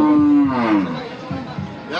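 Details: Cattle for Qurbani at the Hazratpur Paragram cattle market in Bangladesh, 3 May 2025: a loud, low, drawn-out moo lasting nearly a second and sliding slightly downward, followed by quieter market murmur and a short rustle at the end.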